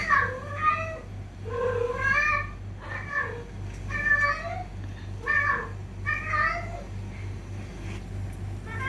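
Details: Fighting cats: a quick string of about eight insistent meows, each under a second long and rising then falling, coming almost every second over a low steady hum.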